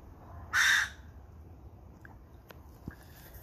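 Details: A ringtail gives one harsh, raspy, bark-like call lasting under half a second at night in Santa Rosa on January 26, 2020.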